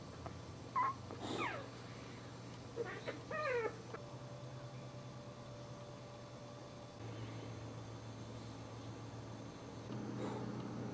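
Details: Newborn Boxer puppies crying while breastfeeding from their mother: a few thin, high, rising squeals in the first four seconds. After that the sound stays quiet, with a steady low hum and faint noise.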